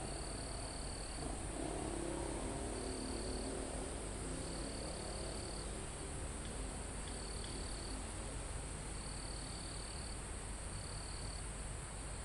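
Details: Live recording from a forest almost at the top of a mountain, with crickets and insects: six sustained high trills of one to two seconds each, separated by short pauses, above a continuous thin insect drone and low wind noise.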